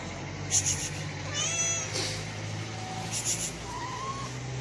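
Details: Hungry stray cat, one of two being fed; a few thin, drawn-out meows, one rising and one falling, over a steady low hum and brief rustling noises.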